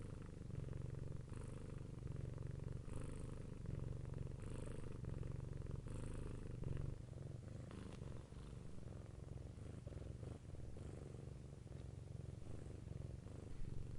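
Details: Long stretch of a cat's purr: continuous deep rumbling vibration at steady loudness, punctuated by short airy breath sounds every second or two, with some faint clicking noises in the second half.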